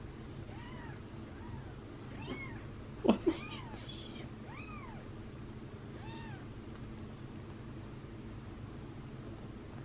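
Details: Indoors, kittens Daisy, Darcy and Diesel, tiny and chubby, on the day they first opened their eyes, give a series of high, arched mews about once a second, with a sharp knock and brief rustle midway.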